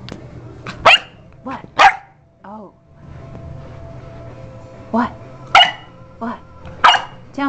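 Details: A pet dog barking repeatedly in short, sharp, irregular bursts, mixed with a woman's voice talking to it between barks.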